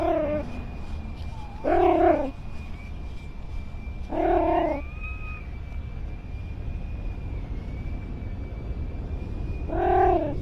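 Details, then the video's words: Domestic cat in a funny compilation, giving three drawn-out, harmonic meows spaced a few seconds apart, each with a slight rise and fall, over steady low background hum and a faint thin electronic tone. "Funny Cat Sounds"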